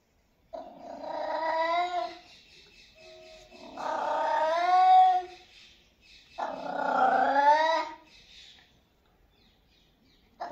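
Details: Domestic cat giving three long, drawn-out, harmonic meows, each about one and a half seconds, wavering in pitch with a slight whine, separated by short silences.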